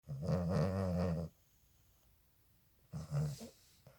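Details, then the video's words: A Boston Terrier puppy sleeping with its eyes open snores with low, rumbling breaths, separated by a quiet pause. "(BOSTON TERRIER) A puppy that sleeps wuth its eyes open and snores."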